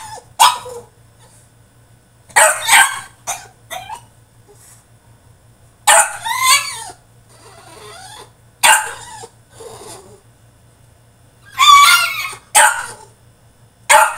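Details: A French Bulldog throwing a tantrum in his cage, letting out loud, harsh barks in irregular bursts separated by pauses, some doubled, with a faint steady low hum underneath.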